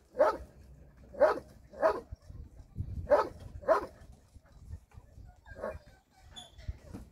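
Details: Shelter dogs barking during a Sunday volunteer day: five loud, abrupt barks spaced roughly a second apart, followed by two softer barks, over low background rumble.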